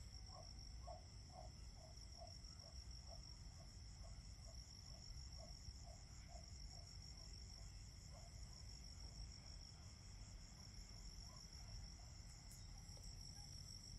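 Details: Autumn cricket song: unbroken high-pitched trilling, joined for the first half by a rapid series of short chirps roughly every half second, with low rumbling noise beneath.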